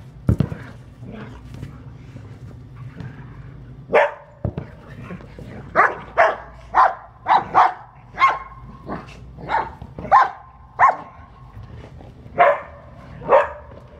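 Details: Blue-eyed Australian Shepherd Priya barking during a game of soccer. A couple of isolated barks come first, then a steady run of about a dozen loud, clipped barks close together over faint background rumble.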